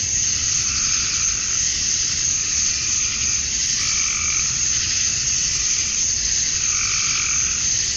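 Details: Male cicadas chirping to attract females at dusk on a summer night in Georgia, USA: a dense, steady high hiss of insect song, with softer rising calls swelling about every two seconds beneath it.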